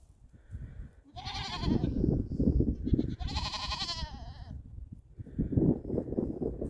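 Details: Young goats playing and jumping on the back of a llama in Canada; high wavering bleats around one to four seconds, over low rumbling and thumping movement noise.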